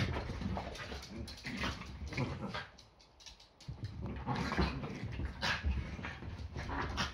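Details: Yorkshire Terrier in a morning play fight, the usual start to the day before breakfast; grumbling low growls and snuffles, a near-silent pause around the middle, then renewed rough growling and scuffling.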